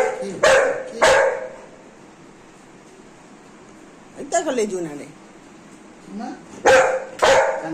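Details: Golden Retriever happy after her bath: two sharp barks, then a wavering whiny yelp and a low groan, then two more barks; a woman talks to her warmly in Bengali in between.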